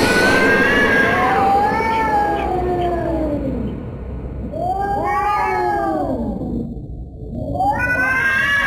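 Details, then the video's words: Domestic cat making eerie, drawn-out yowls: a long descending moan, then two more arched wailing cries after a short lull, sounding tense and threatening. "Scary cat sounds"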